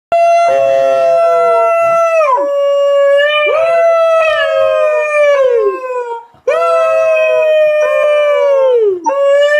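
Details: Beagle howling loudly in three long, sustained, bell-like howls, each holding a steady tone before sliding downward at the end, with brief pauses between them.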